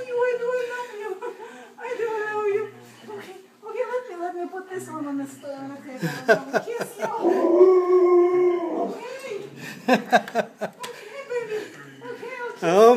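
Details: A male Alaskan Malamute, happy to see his owners return from the grocery store, howls with wavering woo-woo sounds amid excited human voices.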